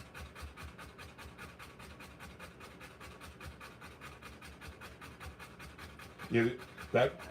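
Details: A Rottweiler in labour, giving birth to puppies, breathes in quick, even pants throughout, closed by two short bursts of human voice.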